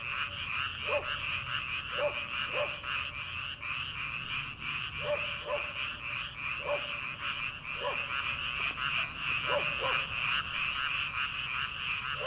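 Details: Early-summer frog chorus from a rice paddy ahead of transplanting season, many frogs croaking at once in a fast, rattling pulse, with occasional brief, clipped lower notes standing out at irregular gaps.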